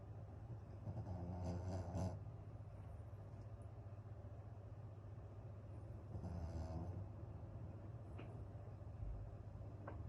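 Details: Suzu, a sleeping Pomeranian in a multi-dog home, snoring: two low, rasping breaths swell near the start and again about five seconds later over a steady low household hum.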